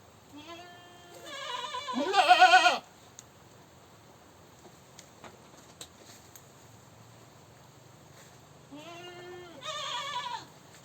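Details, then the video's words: A screaming goat gives a rising, quavering bleat that swells into a harsh, loud cry around two seconds in. After a quiet gap with faint knocks, a second wavering bleat follows near the end. "Goat Screaming"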